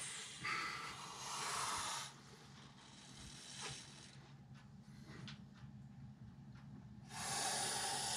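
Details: Montpellier snake (Malpolon monspessulanus) in defensive reaction to a threat, giving two long breathy hisses: one of about two seconds at the start and another rising near the end, with quiet faint rustling between them.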